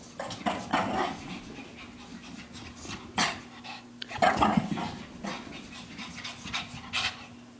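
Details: Three-year-old female Shih Tzu named Lacey dashing about playfully after a long walk; noisy panting bursts and thumps come irregularly, with a faint steady low hum underneath and brief louder puffs around the middle.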